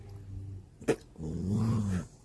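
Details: Poodle puppy growling indoors, a low buzzy growl, then a sharp knock, then a longer rumbling growl of rising intensity.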